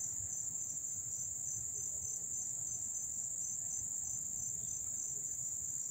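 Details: Crickets up close in Dobbs Ferry, New York, on August 1, 2014, chirping in a steady, high-pitched chorus that runs unbroken from start to finish.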